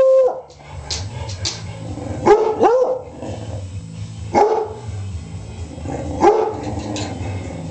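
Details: Household dogs, Beagles Sissy and Gonzo with black Labrador Snoopy, barking and howling: an opening held tonal note, then spaced, clipped barks roughly every two seconds over a steady low background hum.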